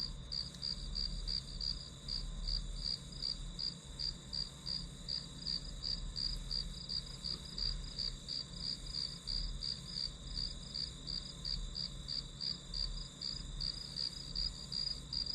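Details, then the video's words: Grass insects chirp steadily through a study-with-me hour used as white noise, giving a long run of high pulsed notes at about three per second, regular and unbroken, above a faint low hum. "풀벌레 소리"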